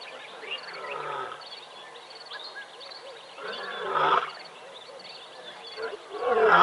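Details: Lions, playful and vocal in the morning at Tembe Elephant Park, give low moaning roars rising to loud bursts near four and six and a half seconds, over a steady dawn chorus of chirping birds.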